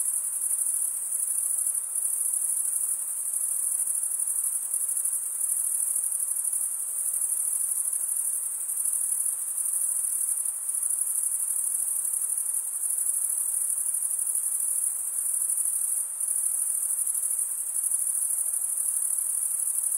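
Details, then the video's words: Crickets stridulating, a sound the males make by rubbing one wing's edge across a toothed vein on the other. It forms an unbroken, shrill, high trill that holds steady throughout, with no other sounds. "Most relaxing cricket sound"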